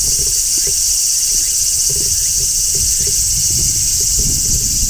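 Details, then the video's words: Midsummer chorus of large brown cicadas on a tree: a continuous high-pitched shrilling buzz at even loudness, with scattered soft low knocks beneath it. "Cicadas Singing in Midsummer | Large Brown Cicada"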